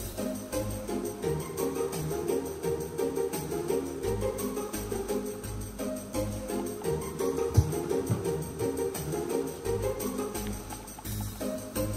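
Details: Orchestral background music with strings and jingling bells fills the recording, with no animal voice.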